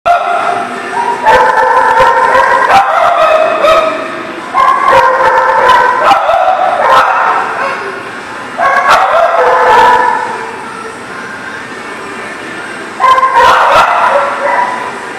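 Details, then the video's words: Dog barking in bursts, clusters of sharp barks separated by short pauses over continuous overlapping barking and yips from several dogs. "The Barking Lot"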